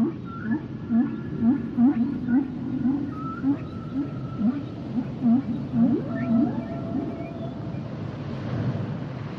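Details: Humpback whale song built from rapid repeated low swooping units, about two per second, with higher whistle-like tones layered above, fading into a broad rumbling wash at the end.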